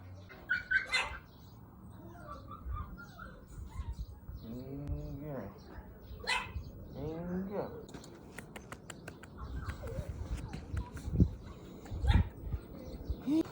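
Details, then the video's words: Puppies of the balbari dog Dongsan, born January 2021 and kept in Seongsu-ri, Hongcheon County, Gangwon Province, let out two bursts of bending, whining yelps in spring, followed by scuffling, clatter and voices. "할머니네 새끼강아지"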